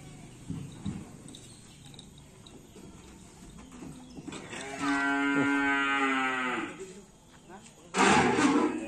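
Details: Karapan sapi racing bull from Madura island, East Java, Indonesia, a new bull of team Ser Naser from team Door to Door, filmed during Ramadan. A single long harmonic moo lasting about two seconds, steady then falling slightly, with a knock and voices nearby.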